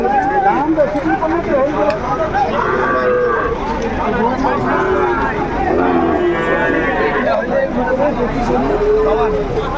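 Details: Sahiwal bull calves at a livestock market in Kurigram, Bangladesh, on 7 April 2025, as a farmer buys calves. Several drawn-out, tonal moos rise and fall through the clip against a constant loud hum of crowd chatter.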